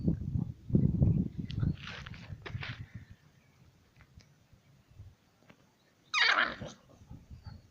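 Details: Pandey and Tiger, two dogs, play-fight; deep growling bursts open the sequence, then a quieter stretch of scuffling, ending in a sharp, higher yelp-like cry.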